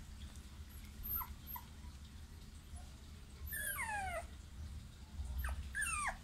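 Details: American Pit Bull Terrier puppies whimpering: two clear whining cries that slide downward in pitch, each lasting about half a second, with a few short faint squeaks earlier and a low steady hum underneath throughout.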